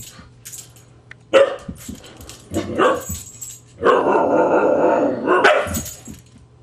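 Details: Husky growls and snaps while a Husky puppy keeps teasing it: two short, sharp snarling barks, then a sustained rough growl of about two seconds ending in a harsh yelping snap, with faint scuffling between.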